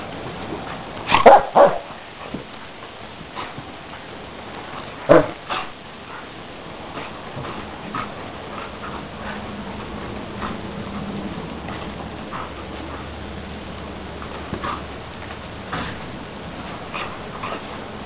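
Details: Dogs in Luhansk, a black terrier named Merlin and a husky named Kody, one of them barking: a few loud barks early on, another pair around five seconds, then quieter scattered sounds over steady background noise.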